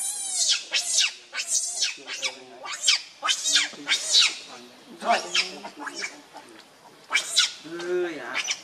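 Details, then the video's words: Hungry baby monkey named Leo Rainbow begging its mother for milk, angry and crying: a long sequence of about a dozen high, piercing screams, rapid and unbroken, each shrill cry arching up and down, with brief lower whimpers between. "Rainbow Very Angry Need Milk Much I Smart Cute Lovely Baby Monkey"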